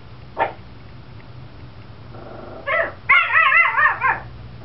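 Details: Pet Chihuahua at a bay window threatening a school bus crowd, with another household dog also barking; a single sharp yap, then quick high yips rise into a wavering, whining, howl-like run of barks.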